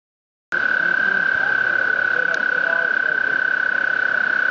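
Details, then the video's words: Frog singing on the Appalachian Trail on May 11, 2011: after half a second of silence, one long, unbroken high trill at a steady pitch, made of rapid, even pulses, runs to the end, with faint low rustling beneath. "Singing Frog on the appalachian Trail"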